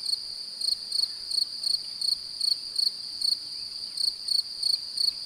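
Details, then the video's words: Male cricket singing to attract a seemingly interested female, produced by rubbing the forewings together. Regular loud high chirps come about three per second over a constant shrill background trill. "Grillon mâle cherche a s’accoupler et chante"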